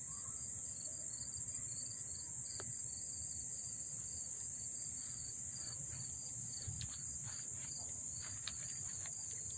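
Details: Dobbs Ferry, NY crickets on August 1, 2014, heard close: a constant shrill trill with regularly pulsed lower chirps, plus scattered clicks and ticks toward the end.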